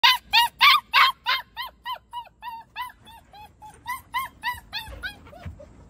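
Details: Giant Schnauzer puppy yelling to be let back into its kennel: a rapid series of about eighteen high, arched whining yelps, roughly three a second, loud at first and fading steadily.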